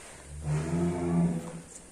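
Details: Heavy-class cattle brought out of its pen in Indonesia. A short, deep, rumbling moo of about one second, low-pitched and steady, with mild background noise.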